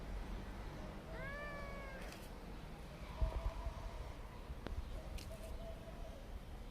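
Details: Kitten meowing: one clear, drawn-out mew that rises slightly then levels off near the start, followed by fainter short cries and a few knocks, with low rumbling noise underneath throughout.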